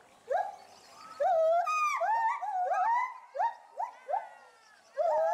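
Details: A zoo-kept agile gibbon pair at Bristol Zoo Gardens, UK, calling in agitation at something spotted in the bulrushes. Upswept hoots are joined by a sustained, wavering high note, then give way to spaced rising whoops.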